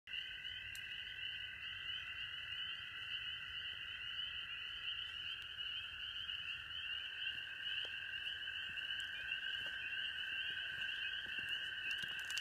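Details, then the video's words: A large gathering of frogs calling at Hueston Woods: a dense, unbroken high-pitched chorus forming two steady droning bands, one shrill and one lower, with no pauses throughout. "Crazy frogs at Hueston Woods!"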